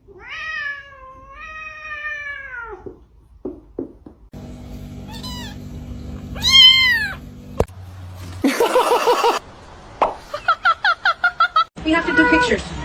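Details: Domestic cat giving two long, wavering meows indoors, followed by people talking and laughing, short bursts of music, a scream and rapid clattering sounds.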